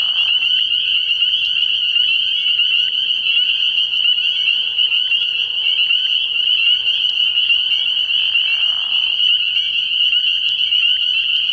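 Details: Night chorus of spring peepers from a frog pond early in the year, shrill overlapping peeps forming a constant high drone, with a softer lower rasping sound swelling briefly around eight seconds.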